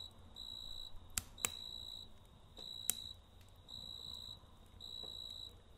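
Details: Cricket chirping at night near a campfire, evenly spaced bright trills about every second, clean and tonal, with occasional crackling snaps from the fire.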